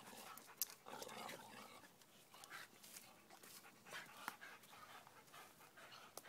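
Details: A Staffordshire bull terrier pants and snorts hard in rough, breathy bursts while tugging on a springpole.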